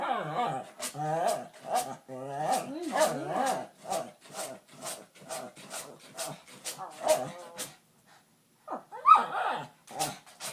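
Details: Dog named Vader, agitated, producing weird noises instead of a normal bark: a rapid series of short whiny, warbling yelps and grumbles with wavering pitch, a brief pause near eight seconds, then more squeaky bursts.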